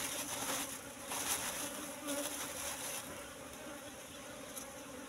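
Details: Hum of an Asian honey bee (Apis cerana) colony from a wild nest in bushes with combs full of honey: a continuous low drone with an overtone above it, slightly louder in the first half, with light rustling clicks.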